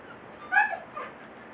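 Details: Siberian Husky puppy talking back to its father: one brief, high, whiny yelp that bends downward, followed by a fainter second whimper; otherwise quiet.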